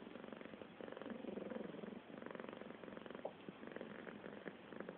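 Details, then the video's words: A cat purring steadily, a dense rapid pulsing rumble that swells louder around the second second, with a brief soft click near the three-second mark; quiet indoor background. "Traktor cat makes some noise"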